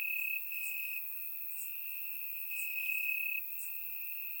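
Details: Crickets in grass on a warm Bulgarian summer night, surround-recorded: a constant high, buzzing trill with faint higher ticks roughly once a second.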